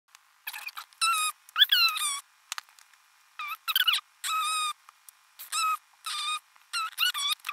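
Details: Kitten giving a string of thin, high squeaky meows, each short and slightly wavering in pitch, in bursts separated by brief silences; a quiet room with no other sounds.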